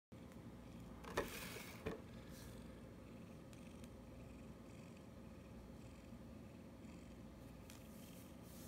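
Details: Lily, a pet cat, shown alongside a Japanese maneki-neko cat figurine indoors; a low, steady purr runs through the whole clip, with two brief sharp clicks near the start.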